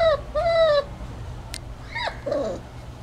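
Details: Hermes, a puppy aged five to six weeks, whimpering: two drawn-out tonal whines, the second steadier, then a quick rising-falling yelp and a softer wavering whine, with a faint low hum underneath.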